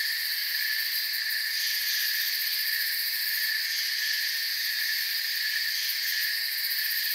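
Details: Crickets chirping in a forest ambience: a dense, unbroken high-pitched chorus of many insects, steady layered buzzing tones with faint rapid pulsing at the top, constant loudness throughout, no other sounds.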